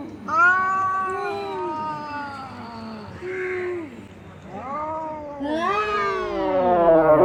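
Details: Tin-roof fight at midday between two cats: a series of long, bending yowls, each swelling and sagging in pitch, with short gaps between them, ending in a louder, rising, strained howl.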